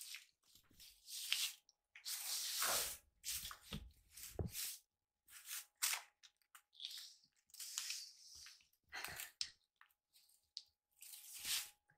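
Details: Crunching, crinkling and rustling bursts indoors, with a faint steady tone running underneath and no animal voice.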